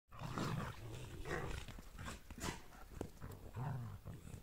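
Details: Two German Shepherds, mother Asta and her son Max, playing together; low rumbling growls come in several bursts, mixed with scuffling, thumps and broad noisy rustles from their rough play.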